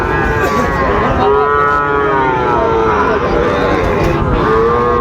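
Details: Low, arching lowing from Sahiwal bull calves at Ambari market, Dinajpur, on 26 September 2025, as trading begins. Long moaning calls bend up then down, repeated a few times, beneath constant market voices.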